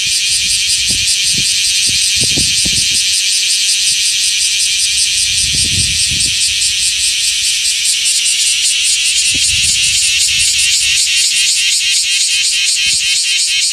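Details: Male bear cicada singing beside its freshly shed nymph skin in Osaka city, where the species choruses from early morning to noon in July to mid-August; a loud, continuous, high rasping buzz that becomes pulsed, with low thumps underneath.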